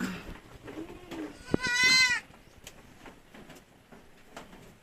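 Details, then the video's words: Bleating from purebred Anglo-Nubian goats, two of which have given birth: after soft rustling and a sharp knock, a single bright, wavering bleat rings out for about half a second before quieter background noise. "Dalawang Purebred Anglo-nubian ang nanganak"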